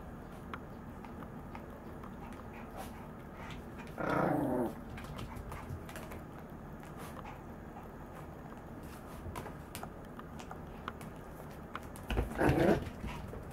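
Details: Maltese dog growling while running around: two short, rough, low growl bursts roughly eight seconds apart, with quiet background and faint rustling between them.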